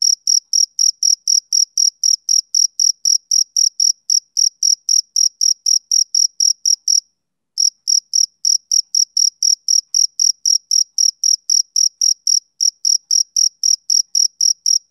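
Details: Summer-evening chirping of a male cricket: rapid high pulses near four per second, pausing for under a second midway before resuming, no other sounds.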